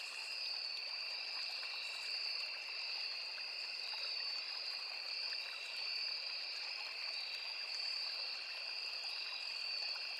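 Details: Insect chorus of crickets and cicadas at a forest stream: a constant high-pitched ringing in two bands with slight rhythmic swelling, accompanied by a low hiss of running water from the small river.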